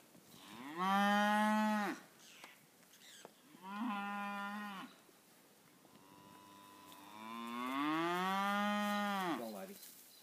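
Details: Poll Hereford heifers at Bogandillon moo in three long calls, the first and last rich and drawn out, the middle one shorter, each with a steady tone that bends at the end; quiet between calls.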